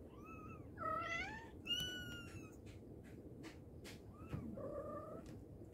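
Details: A mother cat calls her babies with a bent, wavering meow, then a flat, sustained higher cry, followed by a brief soft mew and a level drawn-out call, with scattered clicks and low room noise.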